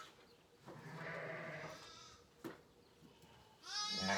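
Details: Sheep calling out from hunger inside a barn on a Saskatchewan ranch in March lambing season as hay is dropped; a drawn-out nasal bleat early, a sharp knock, then a loud quavering bleat rising at the end.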